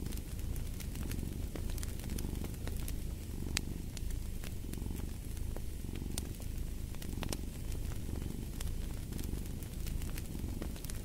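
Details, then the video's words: Soft rumbling cat purr in rhythmic breathing waves, dominating the low range, while a wood fire in a fireplace crackles and snaps irregularly over it. "Fall asleep to the Purring of a Cat"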